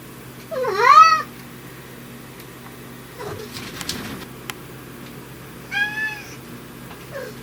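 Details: Riki, a brown tabby living indoors whose meows change when dad is around, lets out a loud arching meow, then a shorter flatter one after some household clatter in a small room.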